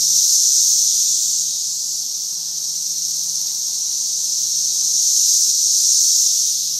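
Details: Emerging cicada brood swarming a tree in mid Missouri at the brood's peak, producing an unbroken shrill droning chorus, strong at the start and end with a slight dip midway, over a faint steady low hum.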